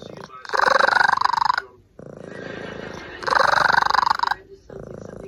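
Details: A domestic cat making strange cries: long, rattling, pulsed bursts with a rich harmonic tone, loud then softer in turn, each lasting one to one and a half seconds, with short gaps between.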